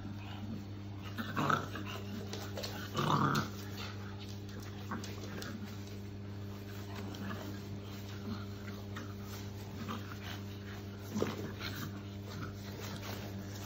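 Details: Shar Pei puppies play fighting indoors, giving short rough growls with a sharp burst near three seconds and another near eleven, over a steady low electrical hum and scuffling.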